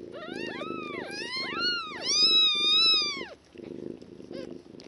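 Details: Newborn one-day-old kittens from a litter of five, in foster care with their mother, cry in a run of loud, high, arching mews that overlap and rise then fall, over a soft purring background, followed by quieter rustling.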